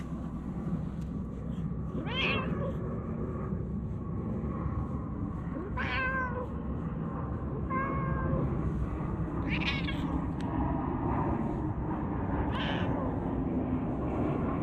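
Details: Talkative stray cat giving short meows every few seconds over a steady low background rumble, with faint rustling.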